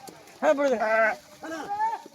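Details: Sheep being made to swim by shepherds. Two wavering, strongly harmonic bleats: a longer one of about three-quarters of a second, then a shorter, slightly rising one. Men's voices are heard around them.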